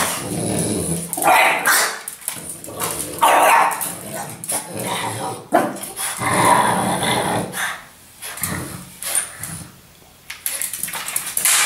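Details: A naughty French Bulldog named Apple fights a sweeping brush, with a one-eyed Chug called Gus sometimes helping; repeated gruff barks mixed with growling and brushing sounds, fading quieter near the end.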